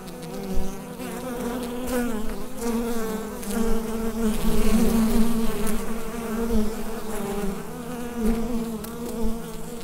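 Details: Bees humming inside a hive, captured with a USB microphone: a dense, steady drone with a strong low hum and layered overtones, swelling and fading slightly in loudness with a few brief crackling ticks.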